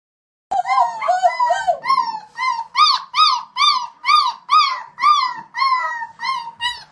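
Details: Golden Retriever giving a run of about a dozen short rising-falling yodel-like howls, roughly two per second, bright and tonal, the first few longer and wavering.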